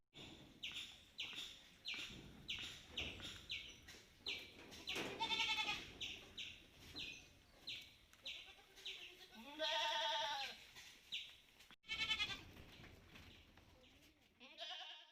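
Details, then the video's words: Outdoors on a farm, Malabari goats give several quavering, wavering bleats of varied length, some rising and falling, against a rapid run of high repeated chirps and background clatter. "A day in our goat farm | Malabari Goats"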